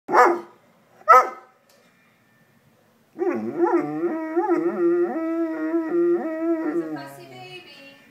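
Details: Pet dog, female, vocalizing as if trying to talk: two short sharp barks, a pause, then a long drawn-out harmonic moan of wavering, warbling pitch lasting about four seconds and tailing off, with a man's voice near the end.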